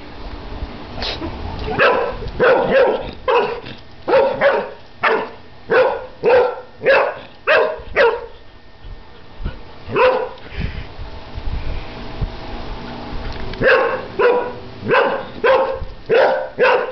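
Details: Airedale Terrier, one year old, barking excitedly at bubbles; steady series of loud barks about every half second, a short lull midway, then rapid barking resumes; a person's voice is faintly present.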